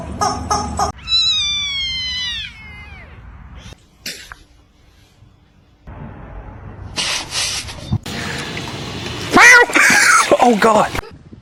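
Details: Domestic cat giving a drawn-out, strongly harmonic meow that holds level and then falls away at the end, followed after short silences by loud bursts of clattering, rustling noise from the edited compilation.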